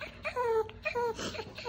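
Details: Maltese named Dubu, a pet dog, whimpering at its owner's first hospital visit the day after surgery for a ruptured right anterior cruciate ligament; two high, tonal whines, each about a quarter second, then a softer breathy whimper, with faint voices nearby.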